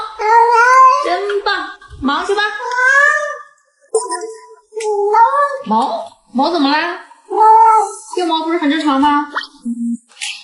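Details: Domestic cat giving a run of drawn-out, wavering meows, each about a second long, some rising then falling in pitch, with short pauses between and speech-like voices mixed in indoors.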